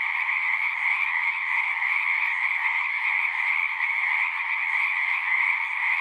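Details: A continuous frog chorus, many overlapping trills merging into a steady, pulsing drone with two bright pitch bands and no pauses.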